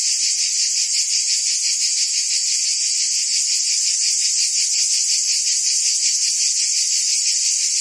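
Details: Cicadas buzzing in forest trees: a dense, continuous high-pitched drone with a faint rapid pulsing running through it. The sound stays even and unbroken throughout, and no other sounds are heard.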